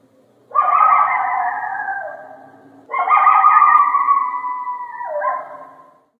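A coyote gives two drawn-out, slightly falling howls, each ending in an abrupt downward break.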